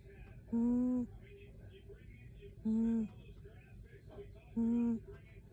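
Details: Sleeping indoors, Ruby the cat lets out funny little sounds: three brief, level, nasal hums, each about half a second long, repeated every two seconds against a quiet room background.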